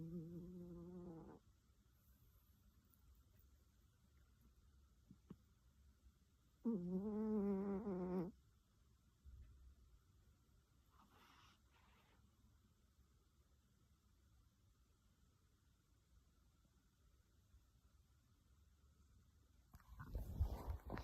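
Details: Domestic cat snoring loudly: a short buzzy, harmonic snore at the start and another about six seconds later, then long near-silent stretches with faint low rumbling and a brief rustle at the close.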